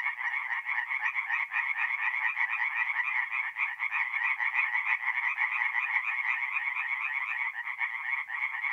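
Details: Night chorus of singing tree frogs in a North-East Italian forest pond in mid-April, a constant dense mass of rapid, harsh, overlapping croaks without pause.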